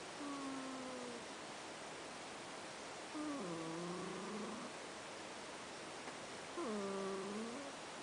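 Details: Pet cat Ash asleep and snoring; three nasal, whistle-like tones that waver and dip in pitch, the middle and last ones longer and louder, separated by quiet pauses over faint hiss.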